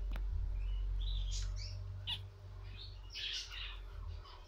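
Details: Guinea pigs at a birth giving short, high, chirping squeaks in quick irregular bursts, some rising, over a constant low hum and room noise.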